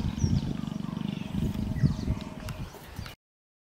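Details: Leopards mating: a low, rasping growl made of rapid, regularly pulsed strokes, about four per second, lasting roughly three seconds before cutting off abruptly.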